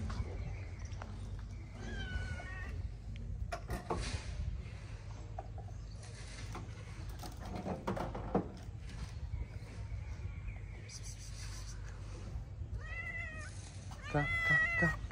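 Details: Shy tabby street cat in Morocco, approaching for food after watching a white cat with humans: brief soft meows early on, then several high, arching, descending meows near the end, amid clattering knocks and steady low background rumble.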